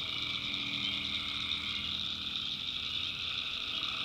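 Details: Tree frogs calling at night in a North Carolina backwoods swamp: a dense, unbroken chorus of steady high-pitched trilling, with a lower droning layer beneath and a faint hum at the bottom.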